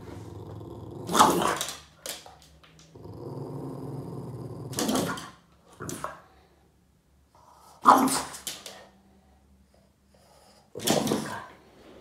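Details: Upset Boston Terrier chasing shadows on a wall: sustained low growls alternating with four loud, sharp bark bursts spaced a few seconds apart, the growl rumbling steadily between them.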